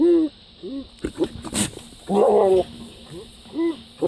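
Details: Goat giving bizarre bleats: short rising-falling cries, a sharp noisy burst, then a longer wavering, vibrato-laden bleat followed by a shorter one near the end.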